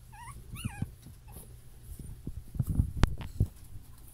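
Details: Puppy, one of six littermates bred from champion parents, lets out three wavering high whimpers in the first second, followed by rustling, tapping and handling noises indoors.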